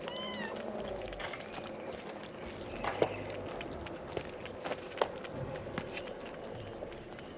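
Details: Abandoned, starving stray kittens waiting to be fed in the morning: one short harmonic meow falling in pitch opens the clip, followed by steady outdoor background noise with a few sharp clinks and knocks.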